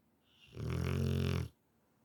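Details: A single loud snore from a sleeping Rottweiler indoors, starting with a soft breathy draw and swelling into a deep, fluttering, rattly rumble that cuts off after about a second.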